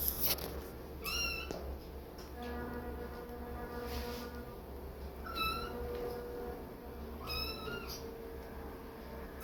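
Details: Mother cat guarding kittens, turned hissy and aggressive after an unfamiliar noise; high-pitched mewing calls repeat every two to three seconds, with a long steady harmonic tone in between and low background hum.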